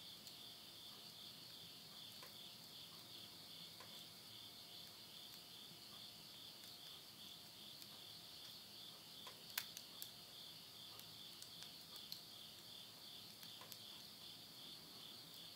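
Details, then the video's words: Insects calling at midnight at the end of summer in the countryside of Yurihama, Tottori, Japan, September 2020: a steady, continuous high-pitched shrill trill throughout, with faint occasional crackles and pops from wood burning in a stove. "mid night the voice of insects"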